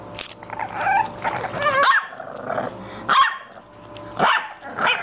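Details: Several English Bulldog puppies play-fight with rough growls, snarling yips and short barks in quick clusters about once a second, loud and close, over a faint low hum.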